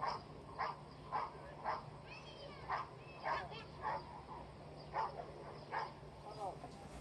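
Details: Rottweiler Castor v.h Swiatecki barking in short, forceful bursts about every half second, with a few brief gaps, over a steady low hum and a faint human voice.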